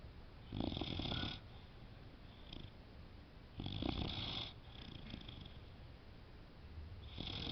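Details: Young female Boxer dog sleeping peacefully indoors, snoring in slow breathy bursts, each rasping inhale lasting about a second, separated by quiet pauses of roughly two seconds.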